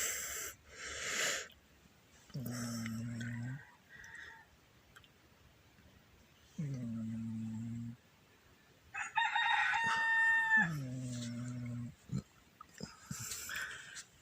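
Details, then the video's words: Pet cat snoring loudly again, low buzzing snores each lasting over a second at steady intervals, with human laughter and voices breaking in between the snores. "snoring cat"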